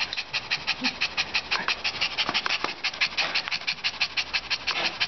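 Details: Little Jo, a friendly female Shih Tzu about one year old, living at the K.A.P.S. animal shelter in Daegu, South Korea, pants rapidly and rhythmically, roughly three quick breaths per second, steady for the whole stretch.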